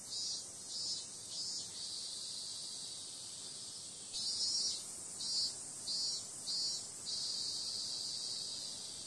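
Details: Summer-night cicadas: an unbroken high, sizzling drone is overlaid by rapid rows of brief, brighter pulses, four or five per group, with a louder stretch beginning midway.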